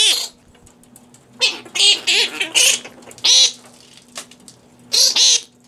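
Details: Captive fruit bats at the Organization for Bat Conservation headquarters, Cranbrook Institute of Science, Bloomfield Hills, Michigan, eating romaine lettuce under infrared light; harsh, raspy squawks in short bursts, some in quick pairs, over a steady low hum.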